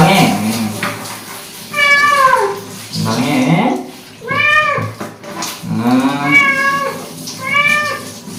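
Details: Korean shorthair tomcat, once a street stray, protesting loudly through a bath with repeated wailing meows, five or six arching cries that rise and fall, some short and some drawn out, with faint background voices.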